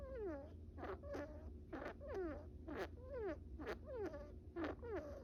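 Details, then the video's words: Little male pet brown rat Bippo, asleep during a nap, gives tiny snores as falling, squeaky tones with clicks, roughly one each second, against a faint low rumble. "Little sleepy Bippo making tiny rat snores"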